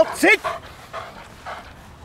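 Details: Single short, bright, rising bark from a powerful male German Shepherd working dog, followed by soft panting breaths.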